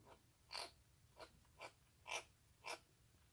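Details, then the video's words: Rescued baby stray cheese tabby kitten gobbling its food on 1 March 2019, making odd sounds while eating: five short snorting, squeaky bursts roughly every half second, indoors in a quiet room. "이상한 소리를 내며 폭풍먹방하는 아깽이"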